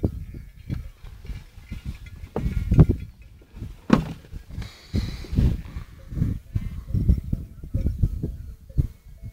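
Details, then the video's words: Romanov sheep flock returning to camp at sunset on the Boğalı highland pasture near Erbaa, herded with Kangal dogs; low, overlapping bleats rise and fall in repeated bursts, with brief handling noise. "Koyunların yayla göçü"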